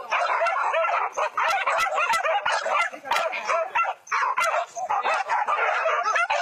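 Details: Several trained hunting dogs pursue wild boar pests near rice fields in Minang country, West Sumatra, Indonesia. Excited barking and yelping overlap in rapid bursts with brief lulls, and faint human voices are mixed in.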